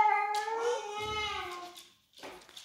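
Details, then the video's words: Domestic dog's daily howl while its owner is away: a loud, steady, mournful tone held for nearly two seconds and gently sliding down, then silence and a short noisy rustle, with a voice asking where mama is. "dog howling, happens daily"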